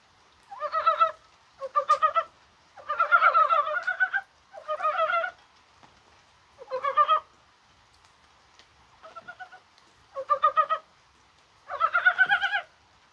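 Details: Korean mountain frogs (Dybowski's brown frog) croaking in the rain on a warm January day. About nine separate bursts of rapid, guttural pulses arrive every second or so, some louder and some fainter, across a quiet background.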